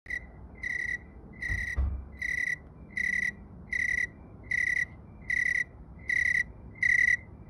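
A tree cricket calls in steady, pure-toned bursts, each about half a second long, repeating evenly.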